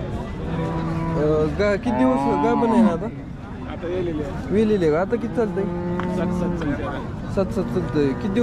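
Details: Lowing of Jersey cows at a crowded market in Sangola, Maharashtra, India, 15 October 2023: wavering moos with bending pitch, broken by pauses, over steady human chatter and traffic noise.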